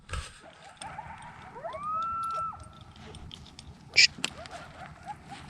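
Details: Coyotes at night at a lakeside cove camp off 8 Mile Road, Lake Mead, Nevada give a distant, wavering, rising howl with sharp yips, sounding like they are fighting.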